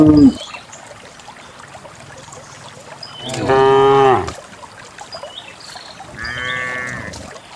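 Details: Cows descending a lush green hillside into a grassy valley; a brief moo at the start, then a loud, bending moo midway and a softer one near the end, with faint bird chirps in between.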